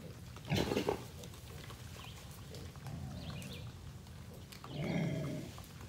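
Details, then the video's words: A big feral boar growling at feeding time, when hogs come out in droves; two low, rough growls, the first short and strong, the second longer and softer, against a constant hiss of background noise. "Big Boar hog growling at me"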